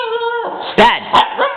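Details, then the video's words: Scolded female Siberian Husky puppy crying: a steady, high, sustained whine followed by two abrupt arched yelping cries and a softer closing whimper, with the owner talking nearby. "Husky puppy cries when called a crybaby"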